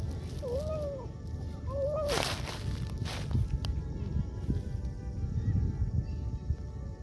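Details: Hungry female stray cat met alone in an old park and given food; two clear rising-then-falling meows close together early on, followed by a rustling burst, soft footsteps and low outdoor rumble, with a brief spoken word beforehand.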